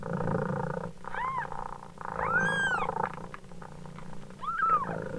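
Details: Mother cat purrs in a rough, pulsing rhythm as her kittens give three separate meows: a short one, a longer bright arching cry, then a last rising-falling mew, all over continuous purring.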